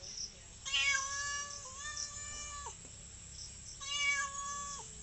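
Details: Village cat giving two long, drawn-out meows, each a steady harmonic-rich tone ending with a slight downward bend, separated by a short pause; faint background hiss.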